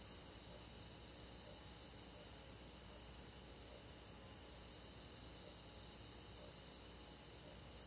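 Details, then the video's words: Rural summer night with crickets: dense, constant shimmering chirps from many insects in several stacked high bands, faint repeated soft notes roughly once a second in the lower mid range. "잠이 잘오는 여름밤 잔잔한 풀벌레소리"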